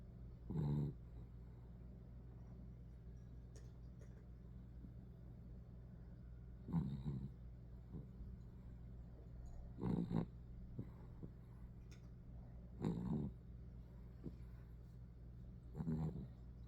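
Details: Small poodle puppy sleeping, giving short low snores spaced about three seconds apart against a quiet constant hum.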